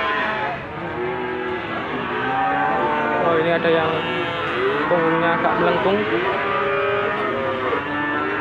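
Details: Limousin cattle at the Gondanglegi livestock market in Malang, East Java, Indonesia, recorded 12 February 2020 during morning market hours; overlapping drawn-out moos from several animals over steady crowd and vehicle noise.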